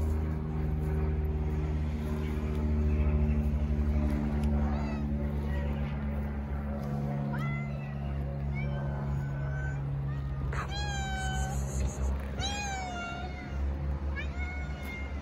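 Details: A tuxedo cat and other strays crowd around a cat-feeding volunteer as she pets them in an Istanbul park. A run of clear, drawn-out meows comes in the second half, over steady low traffic hum and quiet talk.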